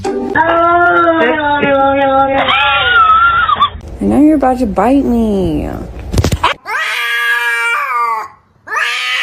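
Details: Kittens meow repeatedly in a busy sequence. Steady tonal mews give way to wavering, bending cries and then several sharp, high calls, with brief noisy bursts between them.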